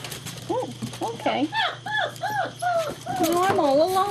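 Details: German Shepherd puppies romping and playing together, recorded 5 February 2012: a quick run of short arched yips climbs in pitch, then gives way to a longer wavering whine, with a person chatting to them and a steady low hum underneath.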